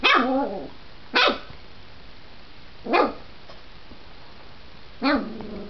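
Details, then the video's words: Diesel, a growing dog, barks in four loud separate bursts roughly every two seconds, each bark rough with a falling tail, against a low steady background hum. "Diesel barking"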